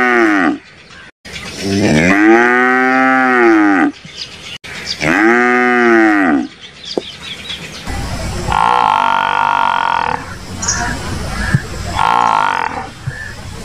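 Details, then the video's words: Water buffalo calling: two long loud moos, each rising then falling in a broad arched pitch, followed by a noisier stretch with steady tonal bands at the end. "Buffalo sound"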